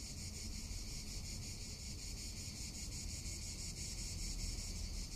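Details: Cicadas sing through a Tuscan summer day, a dense high electric buzz pulsing quickly and evenly, mixed with steady wind noise.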